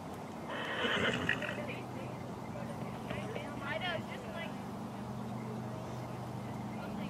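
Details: Morgan horse at the first annual Morgan Horse Association trail challenge, held with a stallion parade, with snow in shady areas. A wavering, stacked whinny rises and falls midway. People talk throughout, and a steady low hum runs underneath.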